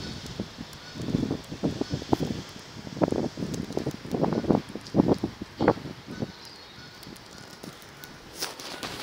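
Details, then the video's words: Funny sounds from Enzo, an Akita: a string of low, throaty grumbles and moaning syllables, uneven in length and spacing, rising and falling over several seconds. "Akita making funny sounds"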